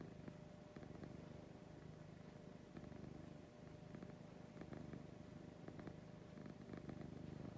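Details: Morning purr from a female house cat, a low vibrating hum pulsing several times a second, steady throughout with brief soft taps and rustling in the background.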